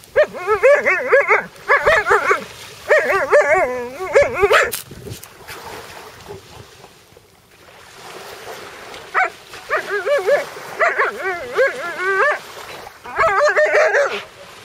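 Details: Alaskan Malamute that has found a sea robin on the shore, giving bursts of wavering, yodel-like, whining vocal sounds in runs of one to two seconds, with short pauses and a longer quiet gap midway.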